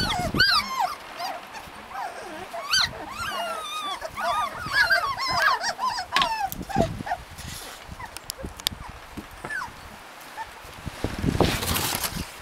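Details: Husky puppies in Lapland: scattered thin whines and squeaks among shuffling and handling noises, with a loud rustle near the end.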